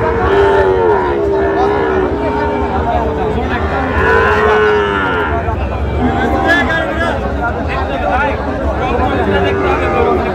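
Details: At a packed Gazipur cattle market in Bangladesh, Sahiwal bull calves bellow in long, wavering harmonic moos, one after another, over steady crowd murmur and speech.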